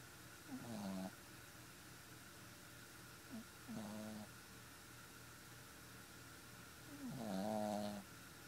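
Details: Four-month-old Boston Terrier puppy asleep and snoring: three short, soft rasping snores with a sliding, slightly rising tone, spaced unevenly a few seconds apart, separated by quiet breathing in a small room.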